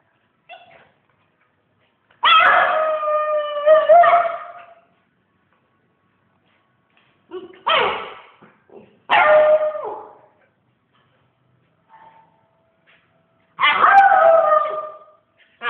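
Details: A pet dog howling: four drawn-out, harmonic-rich howls lasting one to two and a half seconds each, some sliding and wavering in pitch, separated by short pauses and near silence.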